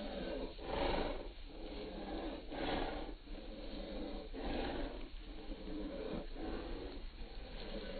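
A Bull Terrier gives low, rough, rasping growls in repeated bursts about every two seconds.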